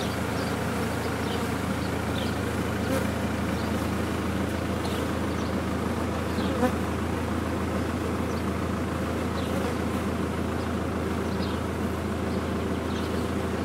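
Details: Honey bees of a large colony lodged in a blocked-up chimney, heard during removal: an unbroken, loud, layered hum of countless wings, steady from start to finish.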